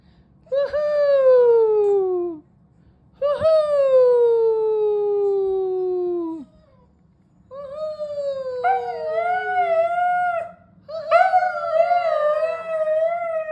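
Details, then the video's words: Family husky howling along as a mother sings to her newborn indoors; four long harmonic howls, each sliding downward, the last two overlapped by a second steadier voice holding level tones. "Newborn unimpressed as husky joins mother's cooing"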